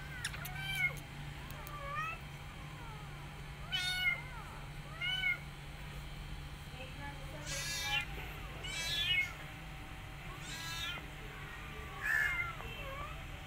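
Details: Rescued mother cat caring for her kittens and an adopted kitten she worries over, giving several short, high, wavering mews with rising-then-falling pitch at irregular intervals, some brighter and longer, over a steady low indoor hum.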